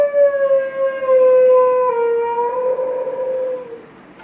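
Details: Mudhol Hound, also known as Maratha or Caravan Hound, giving a long, sustained howl that holds steady before slowly sliding lower, with slight wavering and a few small steps in pitch. It fades over about four seconds in a quiet indoor setting.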